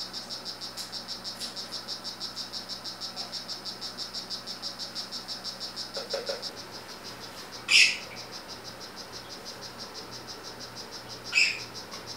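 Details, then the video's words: Calling male strawberry poison-dart frog, 'rio guarumo' form, giving a continuous train of high, rapid chirps about three per second, interrupted near the end by two sharp loud knocks or clicks. "Oophaga pumilio 'rio guarumo'"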